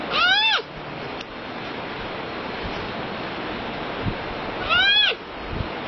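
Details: Panda calling twice, each a short harmonic bleat that rises briefly and then slides downward, about four seconds apart, over a steady hiss of background noise.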